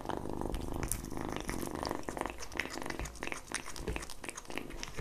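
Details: Young cat eats egg yolk, a continuous low purr running under busy wet licking, chewing and lip-smacking noises in a quiet indoor space.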